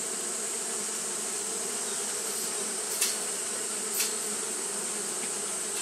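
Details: Japanese honey bees fanning throughout a hot day, a smooth sustained drone, interrupted by two sharp taps about one second apart near the middle, with a constant high hiss behind.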